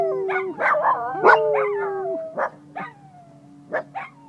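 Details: Pet dogs in Nome, Alaska, singing along to the noon siren: overlapping wavering howls mixed with short yips and barks, fading into scattered sharp yelps over a faint steady siren tone.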